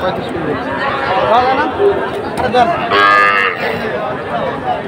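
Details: Young Sahiwal calves at the Amabari cattle market, where a Kushtia farmer is buying small calves on 24 May 2024; a brief harmonic moo rises above steady crowd chatter and men's voices bargaining nearby.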